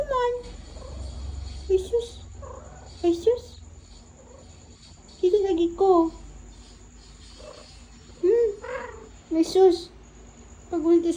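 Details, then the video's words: Persian cat meowing while its owner talks with it indoors in a small room; short rising and falling meows trade back and forth with human speech, with quiet pauses between exchanges. "Talking with my cat"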